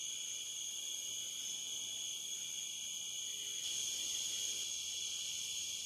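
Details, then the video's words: Cicadas calling on the Licking River in Morning View, part of an overnight dusk-to-dawn recording; unbroken, piercing high-pitched whine layered over a buzzier band, growing a little louder after the midpoint. "Cicada to Cicada - a 12 hour accoustical journey on the Licking River in Morning View"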